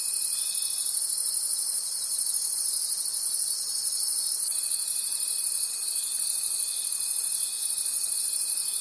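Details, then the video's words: Night-time forest crickets trilling together, a bright high chorus throbbing roughly three times a second; a steady thin tone drops out briefly then resumes at mid-clip. "Forest Sounds and Cricket Conversations at Night"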